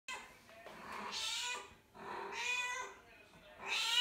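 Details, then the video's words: Mother cat calling for her kittens, born outdoors; a series of loud, harmonic meows, each about half a second to a second long, rising and falling in pitch, three main calls with fainter chirps between. "Mommy cat calling for her kittens"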